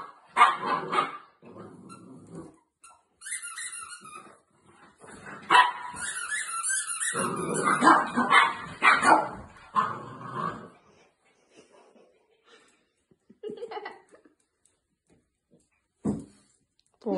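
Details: Shih Tzu grabbing a toy, then crashing into a chair: yappy barks, then a long high squealing whine, a burst of rapid rough barks, quiet gaps and two short sharp barks at the end.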